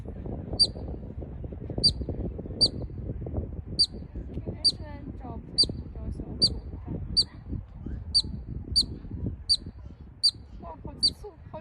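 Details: A marmot gives sharp, high whistled chirps, urgent and rapid at about once a second, calling until it tires and leaves.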